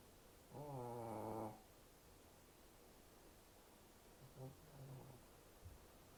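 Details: A Shih Tzu, a brachycephalic breed with a short snout and short breathing passage, snores with one long, buzzy, vibrating breath, then softer, rougher snorts follow.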